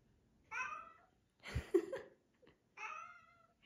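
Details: Bengal cat asking to go out and play on a sunny day indoors: two drawn-out, slightly falling meows about two seconds apart, with a brief scuffling or rustling burst between them.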